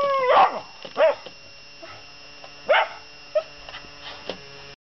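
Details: A Miniature Schnauzer that normally never barks gives sharp, high-pitched barks in irregular bursts at a robot coin bank.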